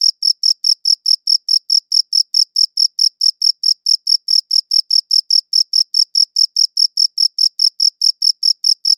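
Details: Cricket chirps in high-quality recording, sharp high-pitched pulses repeating quickly and regularly, roughly four each second, with nothing else audible behind them.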